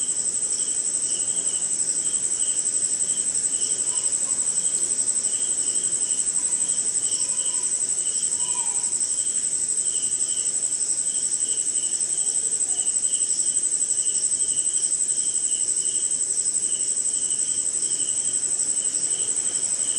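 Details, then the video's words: Insects including crickets sing at night in the rain somewhere in India, a shrill sustained high tone with regular pulsed chirps and a few faint lower chirrups in the middle. "Sleeping Night in Jungle - Cricket & Swamp!"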